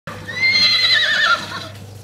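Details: Wild horse in Arizona, one of a vocal band of bachelor stallions challenging other stallions, giving a loud, shrill whinny with a steady high tone that wavers and drops near the end, about one second long.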